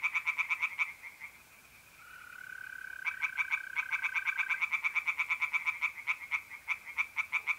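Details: Pond tree frogs calling at night in mid April, north-east Italy: bursts of quick rasping croaks, a short lull filled by a long even mole cricket trill, then the frogs resume in a rapid regular series.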